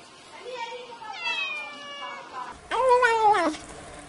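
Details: Domestic cat meowing, a sound said to drive away mice: a soft low meow, then a longer drawn-out wavering one, and finally a loud, rising-then-falling meow in a quiet indoor setting.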